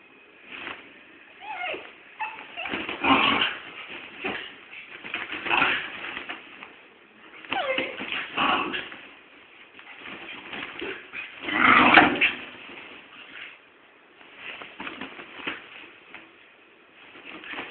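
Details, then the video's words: Little dog and big dog play fighting indoors, trading repeated whimpers, yips and growly barks in irregular bursts over eighteen seconds, the loudest burst near the twelve-second mark. "my little dog and big dog fighting lovely"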